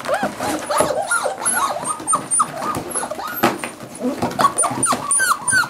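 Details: Several seven-week-old Cardigan Welsh Corgi puppies playing together: overlapping high whining yelps and squeaky yips, many rising-falling, in dense continuous chatter with scuffling noises.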